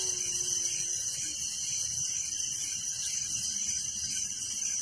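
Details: A constant high shimmering chirp of crickets fills a village night, even and rapidly pulsed, with a faint low hum in the first second.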